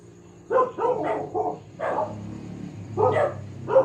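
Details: Household dog giving a fast run of about seven sharp barks in under four seconds, some running together, with a low hum underneath.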